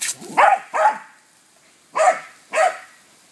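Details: Dog excitedly barking at a garden hose during water play, giving two quick loud barks in a pair, a pause of about a second, then two more rough barks in close succession.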